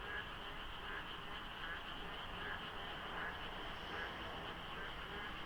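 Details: Frog chorus filling the darkness at dawn beside the Deokso IC expressway during the monsoon rainy season, light fog and little traffic: dense overlapping croaks, pulsed bursts about once a second over a steady hum and a constant high drone.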